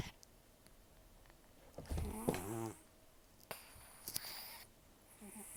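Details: Old rescued cat Taro, roughly 10–14 years of age, rescued October 2024, rough snoring and nasal breathing during sleep: one loud rattling, buzzy snore followed by soft hissy breaths and small clicks indoors.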